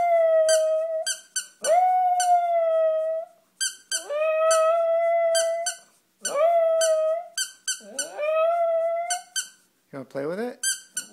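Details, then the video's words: A pet dog named Joey howls at a squeaky toy: four long, steady, mid-pitched howls, each lasting one to two seconds and rising slightly at the start, broken by sharp, repeated squeaks of the toy between them. "Joey howling at squeaky toy"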